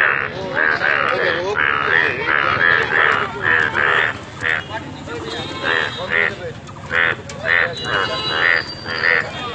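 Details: Yellow frog in Alipurduar calling in quick, uneven series of short, nasal, bleating croaks, several per second in bursts, loud and close, over a background of murmuring noise.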